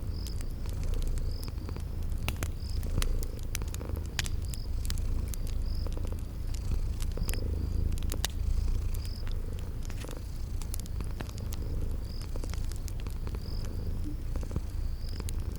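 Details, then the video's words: Cozy ambience of purring kitties asleep near a crackling fireplace in a spring garden: steady deep purring rising and falling with breath, scattered fire crackles, and repeated short high chirps at an even pace. "Cute Sleeping Purring Kitties"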